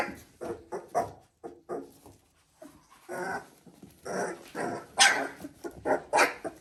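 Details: Three-week-old Border Collie puppies indoors, giving short whimpers, grunts and squeaky yelps in irregular bursts, several overlapping, with a few higher squeals near the end.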